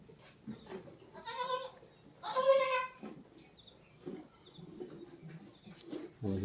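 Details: Two bleats from a goat on a farm where a doe kidded around five in the morning: a shorter nasal call, then a louder quavering one, with a man talking softly between them.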